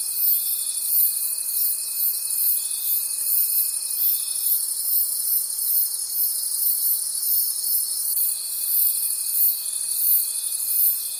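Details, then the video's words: Crickets calling at night in a forest: a dense high-pitched chorus of pulsing trills, one steady tone dropping out midway and returning, with rhythmic swells roughly three times a second and no other sounds. "Cricket Conversations at Night"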